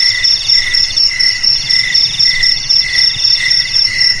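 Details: Shrill cricket chirps, used as a rat deterrent for houses and fields, repeat quickly and evenly at roughly four per second, each a bright metallic pulse riding on a steady high ringing tone.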